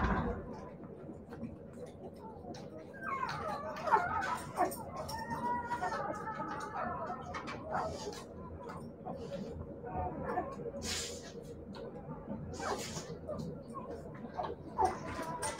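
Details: Siberian Husky puppies giving faint, wavering tonal whines for several seconds, sliding up and down in overlapping strands, with quiet human voices and room noise in the background.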